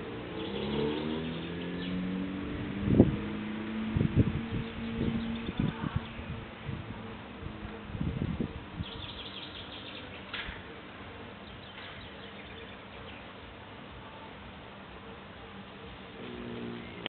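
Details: A female European cockchafer (Melolontha melolontha), found in a garden in Agárd, Hungary, in mid-May 2009, gives a low, droning wing hum with bumps and knocks that fades after several seconds.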